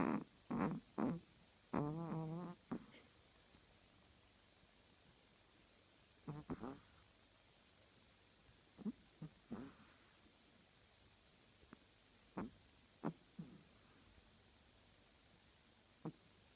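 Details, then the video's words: Chihuahua snoring: a cluster of short nasal snorts and one buzzy, vibrating breath in the first three seconds, then scattered soft snuffles at irregular intervals over a quiet indoor background. "Чихуахуа храпит"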